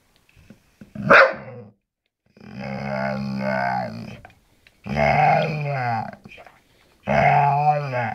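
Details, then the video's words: A Bull Terrier "talking" to his owner gives a sharp yip, then long, wavering, moaning grumbles that sound like speech. "Beautiful Bull Terrier talking"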